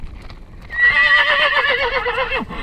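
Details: Domestic horse meeting other horses while out discovering small obstacles; one loud whinny of about two seconds, a high quavering tone with a wavering, trembling line that drops at the end, with no other sounds behind it.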